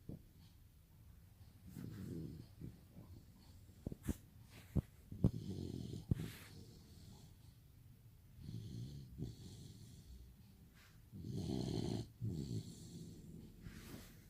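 A Rottweiler puppy snores in low, rumbling bursts, each breath a rough, wheezy drone.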